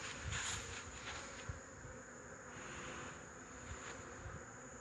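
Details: Honey bees on 8 March 2015 make a rich, even buzzing hum. It is slightly louder at the start, with a thin high whine running through and a single soft knock.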